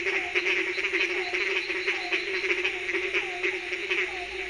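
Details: Frogs croaking at night in a dense chorus: a steady droning hum under pulsing high buzzy trills, with short falling croak notes repeating about every half second throughout.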